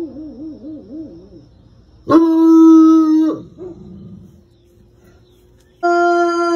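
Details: Bloodhound howling: a wavering, quavering howl rises and falls in quick undulations, then breaks into a loud, sustained, even-pitched bay with strong overtones, a soft lower moan, silence, and another loud bay starting.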